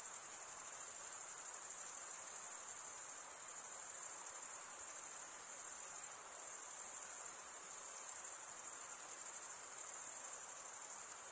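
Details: Cricket chorus as a constant piercing high whine, smoothly sustained with gentle swells in volume every few seconds, no birds, voices or other background.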